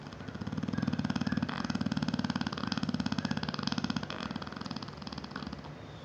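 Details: Bella, a 7-year-old female Neapolitan Mastiff, snoring loudly while asleep indoors; a long, steady rattling snore with rapid fluttering pulses, swelling and easing slightly over several seconds.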